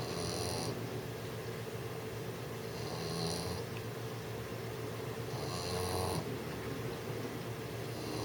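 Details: A 6-month-old English Bulldog snores while trying to sleep, in rough, rumbling breaths with wheezy, hissing inhales about every three seconds.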